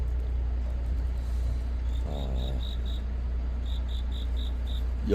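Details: Cricket chirping on a deepening autumn night: short, high, evenly spaced chirps in two bursts, over a steady low hum, with a brief stretch of a man's voice in between.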